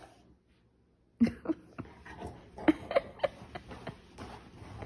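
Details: Rottweiler indoors in a temper tantrum over being refused chocolate, letting out a rapid string of short, uneven whines and grumbling yelps after a brief silence, the sharp bursts coming roughly every half second.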